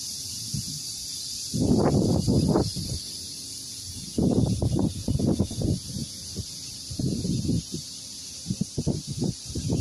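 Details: Cicadas keep up a steady, shrill, high-pitched buzz, with bursts of rustling and thumping close by, on a farm garden with bamboo in longan season as the longans near ripeness.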